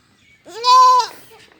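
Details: Baby goat kid giving a single clear, steady bleat lasting under a second, rising slightly at the start and fading at the end, in otherwise quiet surroundings.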